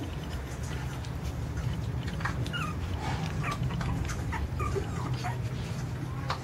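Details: Jack Russell Terrier puppies giving faint, high thin whimpers and short squeaky yips scattered over steady low background rumble.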